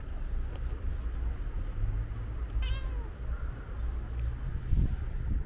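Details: Short descending meow from a calico cat with white paws around the middle, partly buried under heavy low-pitched traffic rumble.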